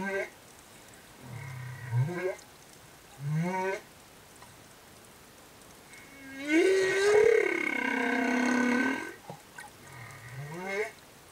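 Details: Male humpback whale escort singing beside a female and calf off Tonga's reefs: low swooping moans and short rising units repeated in phrases, then a long loud harmonic wail that bends upward and falls away.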